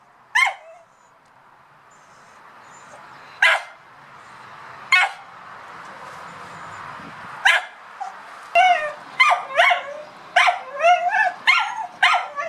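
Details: Dog barking at a cat: a few isolated sharp barks several seconds apart over a rising hiss, then a quicker burst of squealing, yelping barks in the final four seconds.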